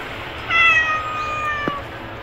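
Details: A hungry stray kitten gives a single drawn-out mew, bright at first and then sliding slowly lower as it fades. A low hum runs underneath and a brief knock follows.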